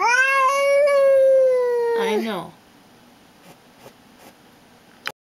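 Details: Female domestic cat guarding and showing who is boss indoors, giving one long, loud drawn-out yowl that holds steady and then bends downward before breaking off, followed by quiet clicks and room sounds.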